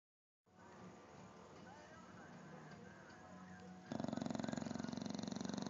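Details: Kong the bulldog asleep in a clothes basket, snoring really loud: quiet room for several seconds, then a burst of loud, rattling, rapidly fluttering snore in the last two seconds.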